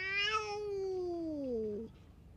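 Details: A short, plaintive meow from a belligerent stray cat taking it out on nearby cats: bright at the start, then gliding steadily downward before breaking off abruptly.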